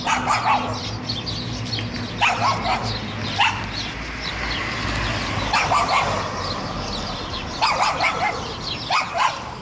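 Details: Hungarian Vizsla, a male hunting pointer, barking at a pigeon that ignores him while out on a walk; loud short barks come in scattered bursts over steady background noise.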